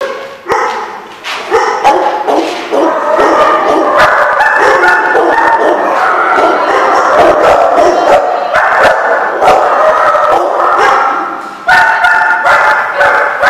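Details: Dogs at a place called the Barking Lot, recorded 9/11/15, many barking together in a dense overlapping chorus of sharp barks and yips, loud and continuous with brief lulls.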